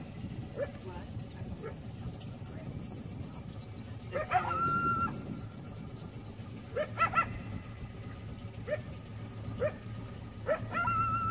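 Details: Repeated alert barking from a coyote at Lake San Marcos, California, around 5:30 pm, recorded from a boat; short yelping barks, some ending in a drawn-out whine, scattered irregularly over low engine-like hum.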